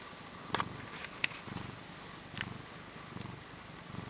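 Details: Short-tailed Portuguese cat recorded up close, low pulsing purr under several sharp clicks and taps.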